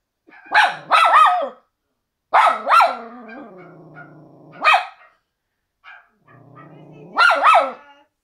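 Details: Worried miniature schnauzer reacting to footage of a frightened Doberman makes yodelling, bent whines and grumbling moans in four bursts with short pauses, pitch swooping up and down, in a quiet room.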